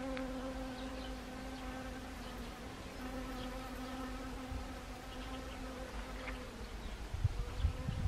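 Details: Honeybees foraging on Siberian chrysanthemum in autumn, Gangwon Province, South Korea, 1 October 2020: a steady low hum with stacked overtones holds for the full length over rumbling low background noise.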